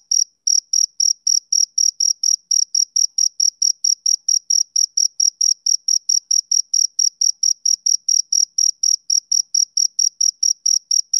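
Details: Male cricket on a summer evening, chirping in a steady, high-pitched series of short, clean pulses, about four a second, each with a faint higher overtone; no other sounds in the background.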